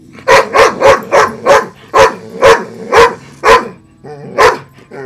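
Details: Female pet dog barking at a loud broken robotic frog toy, urged on by a person; sharp barks in a fast run of about eight, then a pause and one more bark, with a faint mechanical whirr between.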